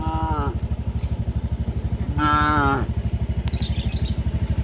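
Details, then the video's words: Cows moving along a village road toward the livestock pen in the afternoon on a traditional farm; two brief moos, the second longer and falling, over the fast rhythmic putter of a motorcycle engine. "Sound of cows moo"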